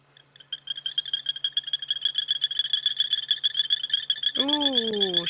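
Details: On a 22 September 2016 evening safari drive in Sabi Sands, a male frog gives a rapid, high, pulsed trill in a chorus of rival males vying for a mate; the chorus stops all at once.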